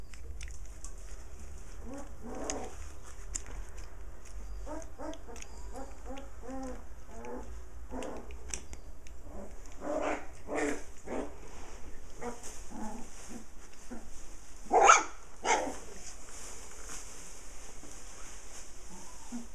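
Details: Six playful puppies with their mother dog, giving a busy run of short, harmonic yelps and squeaky whines through the first ten seconds, then a sharper, louder yelp near the fifteenth second, over a steady background hiss.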